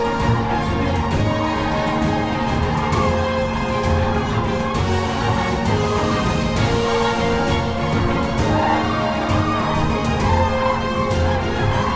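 Steady orchestral theme music fills the whole stretch, with no animal calls audible.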